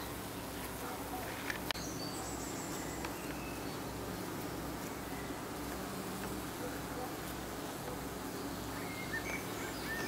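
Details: Evening fanning by honey bees at their hive entrance makes a continuous low buzzing drone with stacked tones. A couple of sharp clicks sound early on, and faint bird notes come near the end.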